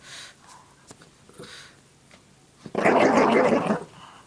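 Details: Indoor play by Lacey the Shih Tzu with a pink puppy blanket: quiet scuffling at first, then a sudden harsh, loud growl lasting about a second.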